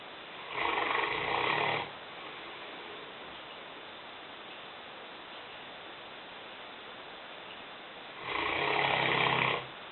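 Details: Lena, a five-year-old, 150-pound female Newfoundland dog, snoring while asleep in a kitchen: two long, rasping, noisy snores about seven seconds apart, each lasting over a second, with quiet room hiss between breaths.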